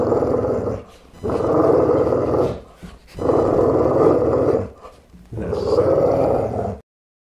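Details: A Boxer Pitbull gives three long, harsh growls, each about one and a half seconds, with short breaths between them, then silence at the end.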